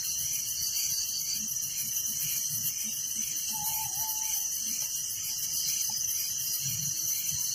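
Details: Crickets at night in a village: a dense, continuous high shimmering trill pulsing steadily throughout, with one brief mid-pitched tone near the middle and faint low rumble beneath.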